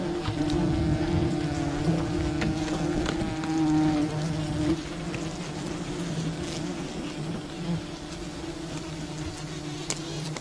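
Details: Honey hunting at a wild bee colony: a steady, humming buzz with clear layered tones, slightly louder in the first five seconds then fading a little, with light clicking.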